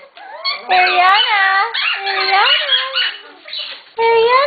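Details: Excited Shetland Sheepdog puppies, part of a litter getting ready for new homes, give long, wavering, tonal howling whines that overlap one another, ending in a higher, steady cry after a brief pause.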